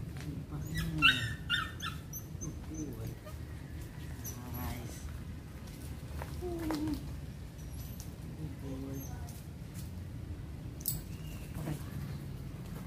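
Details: Hunter, a Belgian Malinois, during an introduction to bite work training: short, high whining yelps break out in scattered bursts, with a human voice speaking over a steady low background hum.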